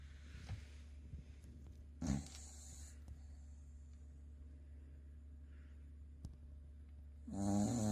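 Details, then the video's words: A dozing Corgi called Sakura snoring: a brief snort near two seconds, then soft breathing, then a loud grating snore starting near the end. "コーギー(さくら)の寝顔 いびきが凄い‼️"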